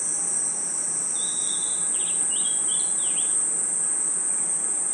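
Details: Crickets and other insects chirping at night in a forest: a steady, very high shrill trill runs unbroken throughout, while a brief run of short whistled chirps sounds lower down around the middle.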